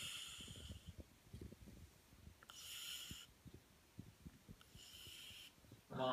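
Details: A French Bulldog sleeping on his back under the covers, eyes wide open, snores in raspy, hissing breaths that come about every two seconds.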